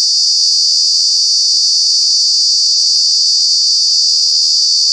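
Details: Cicada at Kanha National Park, Mandla, Madhya Pradesh, calling in summer: a continuous, loud, metallic high-pitched buzzing drone filling the whole stretch without variation.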